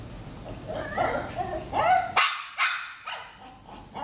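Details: Shih Tzu during eye contact training: a human voice at first, then a run of short, sharp barks about every half second, fading toward the end.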